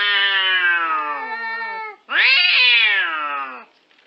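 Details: Cat from a cute cat compilation uttering two long meows back to back, the first slowly falling, the second sharper and rising before easing down, bright and nasal, then silence.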